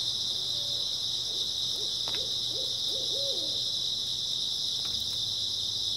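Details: Grass insects on an early autumn night: a dense, unbroken, high-pitched shimmering trill that holds steady throughout, while a soft low hooting series of about six notes rises and falls in the middle, plus a few faint clicks.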